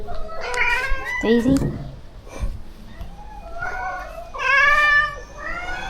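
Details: Rescue cats at a shelter during feeding: several drawn-out, rising-then-falling meows, some overlapping, with a woman talking softly among them.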